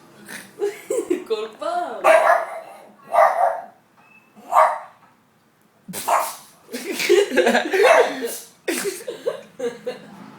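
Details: A pug barks at the window, each short, husky bark followed immediately by a quick snorting reverse sneeze, with human voices and laughter.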